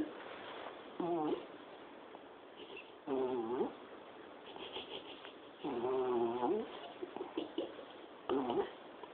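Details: Sleeping dog snoring, recorded on a mobile phone. Four uneven snore bursts with a wavering, buzzy nasal tone, separated by quieter breathing and faint room noise.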